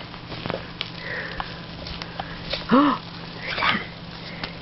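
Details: Olive, a 10-week-old female Scottish Terrier puppy newly arrived home to join her brother Basil, excited on a bed indoors; soft breathy sniffs and snuffles with a short voiced sound near the middle, quiet room.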